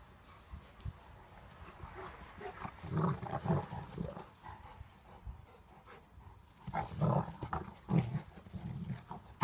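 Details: A German Shepherd and a Golden Retriever in a playful fight, giving rough, throaty growls in several clustered bursts of snarling, with quieter shuffling between them.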